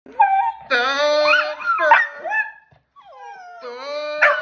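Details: Two dogs trying to howl give drawn-out, wavering tones that rise and fall, broken by brief pauses.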